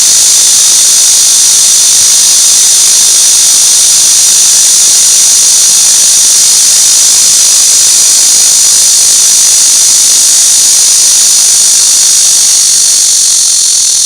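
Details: Steady, piercing buzz of cicadas lasting the whole stretch without pause, a dense high hissing drone of even loudness.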